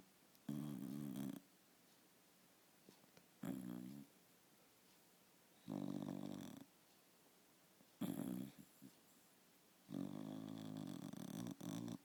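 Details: Shiba Inu dog asleep indoors, snoring in loud, raspy, rumbling bursts, each about a second long, repeating every two to two and a half seconds with quiet pauses between, five snores in all.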